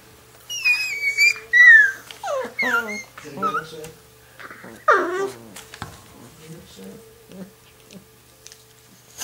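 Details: Litter of six-week-old longhaired dachshund puppies playing; high, wavering whines and yelps that slide up and down, several in quick succession over the first half, then fading to scattered short squeaks with soft thuds and background noise.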